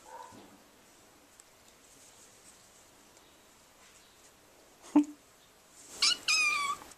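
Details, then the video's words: Six-week-old domestic kitten, very vocal, making toy-like squeaky sounds while playing with her brother; a high, squeaky meow with stacked harmonics near the end, after a faint earlier squeak and a sharp knock. "Kitten Meows at Play-Squeaky Sounds of 6 Weeks Young Kitty"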